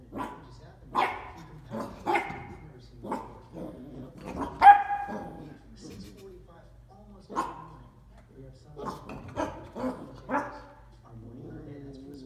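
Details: A dachshund puppy barks over a bowl in a run of short, harmonic barks, several quick ones early, one loud peak near the middle, then a cluster toward the end, with people talking quietly in the background.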